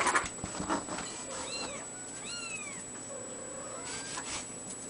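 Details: Ragdoll kitten giving two short rising-falling mews close together, followed by a fainter mew, with a faint steady high electronic whine in the background.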